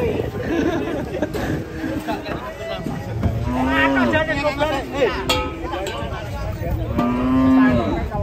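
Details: Low, drawn-out mooing from a raging cow that climbed onto a truck, two steady calls about a second long, heard among excited human shouting and chatter.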